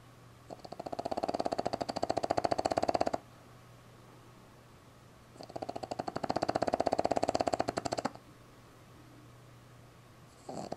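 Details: A sleeping Boston Terrier puppy, tongue out, snores in long, rattling breaths, each lasting about three seconds.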